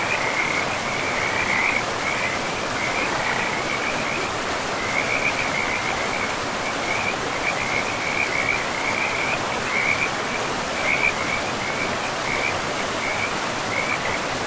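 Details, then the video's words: By a river in pristine forest, frogs keep up repeated grating trills, short bursts following one another roughly every second with small pauses, while the river's even roar fills the background throughout. "River and Frogs sleep sounds"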